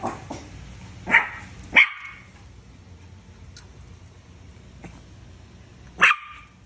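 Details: Deer head chihuahuas at 4:30 in the morning, giving a few sharp, high yapping barks spaced irregularly, two close together early and one more after a long pause, over a quiet room hum.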